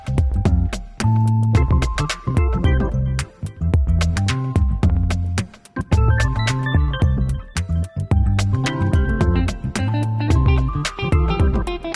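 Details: Steady instrumental music with plucked guitar, synthesizer and a regular beat plays throughout, with no animal voice heard.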